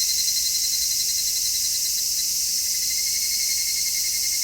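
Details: Midsummer cicada chorus captured in stereo on an MKH-416 microphone, a continuous shrill hiss-like drone with a faintly throbbing lower band, steady and unrelenting across the whole stretch.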